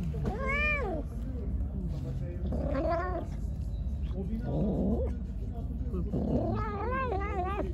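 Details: Pregnant stray cat, hungry and angry, meows repeatedly while being fed: a short arched meow, another a couple of seconds later, then a longer wavering wail, with a person talking in between.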